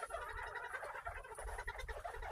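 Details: Several farm-raised Northern bobwhite quail making soft, contented chattering calls after being given fresh kale and greens; a dense mix of short chirps and clucks overlapping continuously, with low rumbling background noise.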